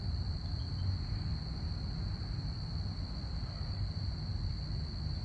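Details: A continuous, even cricket trill at night, high and unwavering, sits over a constant deep background rumble.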